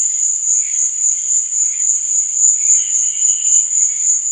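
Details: Under a night sky, crickets sustain a sharp, high-pitched chirring that beats in quick regular pulses, with faint, lower wavering notes beneath.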